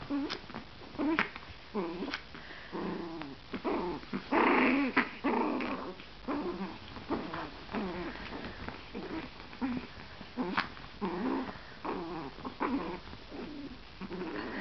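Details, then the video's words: Chihuahua puppies wrestling in bed give rough little growls and whimpering yelps in uneven bursts, one louder snarling stretch near the middle, with thumps and fabric rustle. "Chihuahua puppy fighters"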